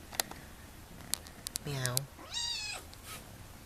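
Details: Kitten meowing indoors: a person's low imitated meow, then the kitten answers with a higher, thin, slightly falling meow lasting about half a second, plus a few clicks and handling noises.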